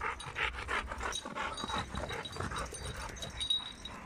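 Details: Dogs in a garden as a Dogo Argentino named Lilit enters among seven Rottweilers it had not met before; quick breathy panting bursts repeat steadily throughout, with a faint steady hum behind.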